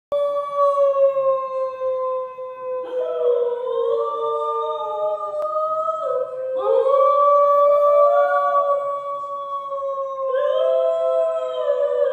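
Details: Two young male New Guinea singing dogs in a conservation program give their morning song, howling together in long, sliding, tonal notes that overlap into an eerie chorus; they sing mostly mornings and evenings.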